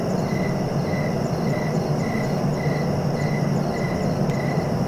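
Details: Crickets chirp in a steady pulsed rhythm, short even chirps repeating roughly every half second, layered in several pitch bands over a constant low rumbling background, with one brief sharp click near the end.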